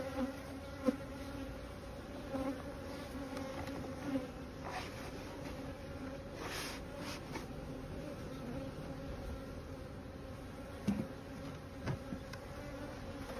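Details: Honey bees during the placing of honey supers in 2022, a continuous low drone holding steady throughout, with a few faint clicks and taps from hive work.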